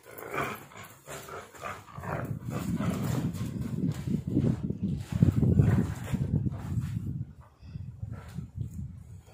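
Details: Pit Bull and Bully mix dog growling while playing tug of war with its owner; a low, rumbling, continuous growl with rough pulses, building to its loudest around the middle and easing off near the end.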